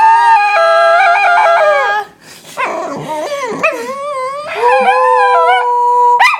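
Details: Pet female dog howling to get her bone back: a long steady tonal howl, then wavering, bending whines and yelps that end in another sustained howl, loud and close.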